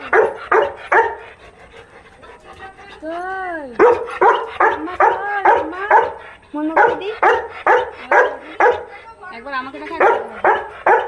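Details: Pet Labrador Retriever reacting to a person arriving home: rapid excited barks mixed with a long, bending whine in the middle, then more quick barks and yelps, with a woman's voice talking to the dog.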